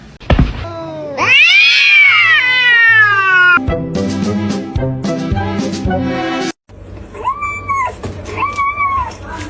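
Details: Domestic cat with a loud, drawn-out meow that rises and then falls over about two seconds. A buzzy, music-like tonal passage follows. Two short, arched meows close the sequence.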